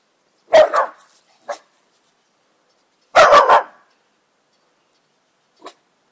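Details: A new miniature bull terrier barks at dogs outside, giving two loud, harsh barking bursts, each a quick double or triple bark.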